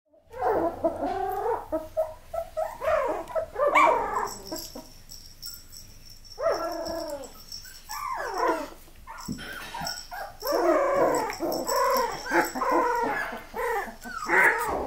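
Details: Miniature Australian Labradoodles give overlapping high, arching whines and yelps. Several voices cry at once in bursts, with short pauses near the start and the middle. A faint steady hum runs through.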